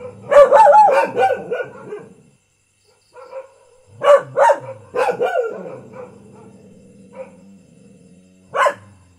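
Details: An everyday house dog opens with a fast volley of barks, falls silent, resumes with a few spaced barks, and ends on one isolated loud bark.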